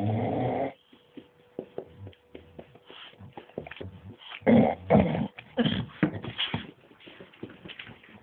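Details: Bruise and Winston, a bulldog and a Staffordshire bull terrier, at play: a deep harmonic growl opens, then rapid scrabbling, snorts and gruff huffs tumble over one another in an uneven, rough-and-tumble rhythm.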